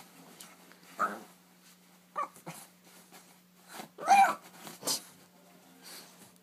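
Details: Bentley, a four-month-old rescue Boston Terrier puppy, playing wildly at bedtime while chasing his corkscrew tail, gives short gruff growling bursts and a sharp bark-like yap indoors, with a steady low hum beneath.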